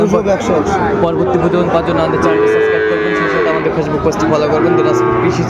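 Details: Sahiwal cattle at a cattle market in Chattogram, Bangladesh, on 17 January 2025, where bull calves are bought. Low, drawn-out moos with rich harmonics rise through steady crowd chatter and market noise.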